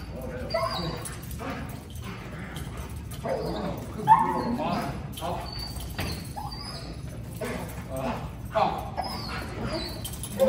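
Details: Belgian Malinois greeting its owners at a reunion, giving several excited, rising whines and short yips scattered through the recording, mixed with people talking.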